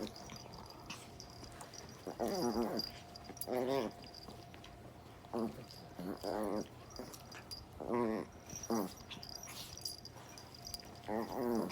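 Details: Dogs playing rough together, short bursts of harmonic whining growls every one to two seconds, rising and wobbling, over a steady background hum and faint clicks.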